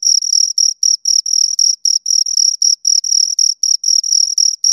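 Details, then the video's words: Pair of crickets giving rapid, piercing high chirps, each a short buzzy burst, coming about four per second in a brisk even rhythm over a silent background. "Two Crickets Chirp Sounds"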